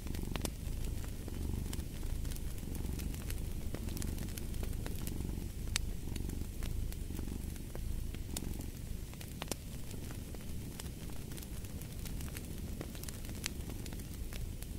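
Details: Deep, rumbling purr of a cat running beneath the louder, irregular crackling and popping of a fireplace throughout.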